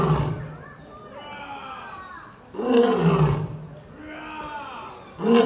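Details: Lion in an enclosure at London Zoo answering a visitor's mimicked roar: short, powerful, low harmonic roar bursts roughly two and a half seconds apart, separated by onlookers chatting and voices in the crowd.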